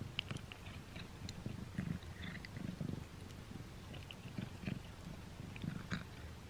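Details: Simba the cat, trying a string cat treat for the first time, chews in irregular bursts of clicking and smacking, with a softer low purr swelling and fading beneath.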